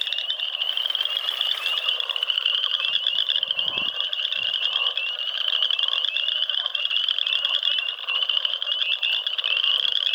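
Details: Frogs calling in a dense, unbroken chorus of many overlapping high-pitched trills and clicks, a steady shimmering wall of sound with a brief low thump near the middle.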